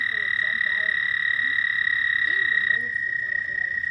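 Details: Frogs calling at night: a continuous, even, high-pitched trill runs through the whole stretch and drops slightly in level near the end, with faint murmuring voices underneath.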